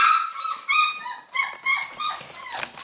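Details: Basset Hound puppies at a kennel in Londrina, Paraná, Brazil, giving loud nasal whines and yelps, four or five drawn-out cries in under three seconds, each sliding in pitch, rich in overtones.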